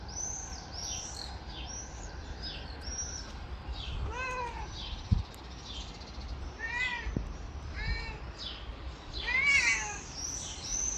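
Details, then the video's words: Chatty little red cat asking for love and attention, giving a run of short wavering meows in the second half, while thin high chirps, likely birds, sound through the background. "My talkative little red cat asks for attention and affection! Chatty kitten"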